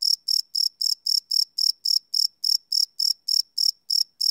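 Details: Cricket chirping at night from a live Sony PCM D100 recording, a fast, piercing pulse train of about sixteen chirps in four seconds, steady and uninterrupted, with quiet between.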